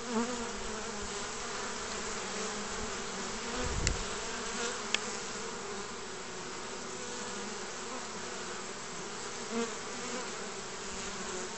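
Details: Honey bees at the entrance of a hive basket on 29 March 2014, spring, with pollen coming in: a steady, dense hum of many bees with layered buzzing tones, a few brief louder knocks near the middle.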